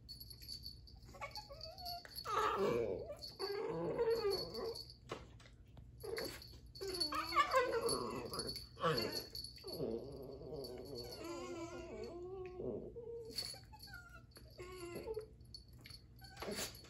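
Dachshunds make a run of whiny, yodeling vocalizations with short yips and rough growl-like sounds.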